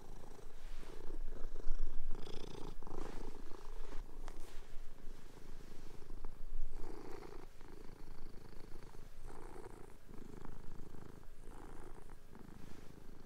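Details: Two pet cats play and fight with each other on a bed during a sheet change; steady low purring rumble with repeated louder pulses, plus rustling fabric and light thumps.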